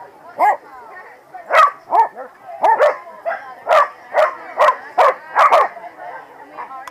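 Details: Corgis at the 2017 PWCCGS NJ Corgi Funday Sunday bark in loud, separate bursts, roughly every half second to one second, over a steady murmur of human voices.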